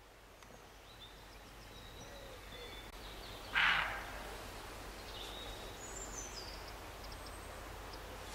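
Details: Roe deer near Morpeth, Northumberland, in August 2012, giving a single short harsh bark midway through, with faint high bird calls and steady rural background noise.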